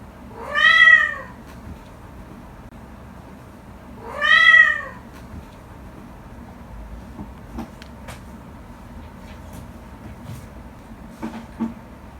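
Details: Pet cat named Shattong yawning: two drawn-out, arching harmonic cries rising then falling, each under a second and about three and a half seconds apart, then a quiet room with faint scattered clicks.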